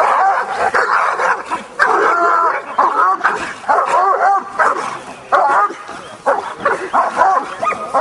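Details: At a Hungarian Kuvasz breed show with working and attack trials, a Kuvasz, possibly Jászszépe Hűség, barks hard and repeatedly in rough, clustered volleys, the barks sometimes rising in pitch, while a man calls out commands.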